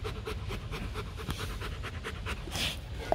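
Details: Rhythmic panting from Bruno, a male Rottweiler breeding dog kept at a kennel in Thúy Lĩnh, Hanoi, Vietnam: steady quick breaths repeating several times a second, low hum behind, a short click at the end.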